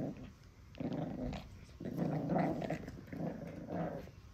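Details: Indoor Pekingese puppy defending its favourite monkey doll, giving repeated low gravelly growls, four drawn-out bursts that rise and fall in loudness over about four seconds, a thin high tone humming underneath.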